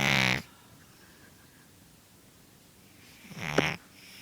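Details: Sleeping female cat Snuffles, born feral and left with nasal scar tissue from a respiratory illness as a kitten, makes two short snuffling snores about three seconds apart, with quiet room hush in between.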